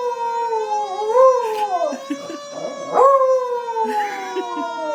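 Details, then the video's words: Beagle named Lily howling in response to a fire truck siren, drawn-out wavering howls that swell, bend upward and slide back down, with a short break of broken whimpering before a fresh falling howl. "Lily howling at fire truck siren sound"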